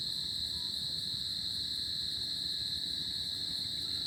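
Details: A summer tropical night filled with a cricket's nonstop high-pitched trill, faintly wavering in strength, accompanied by a weaker upper tone and low background rumble.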